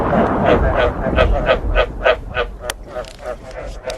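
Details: Rhythmic frog croaking paired with thunder, meant to be played to frogs to make them want to breed; short nasal croaks pulse steadily about three per second, fading slightly toward the end over a faint deep rumble.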